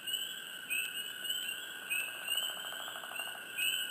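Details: Nearby frogs in a hushed swamp make quick upswept chirps about once a second, joined midway by a lower rapid pulsed trill, all over an unbroken high droning chorus.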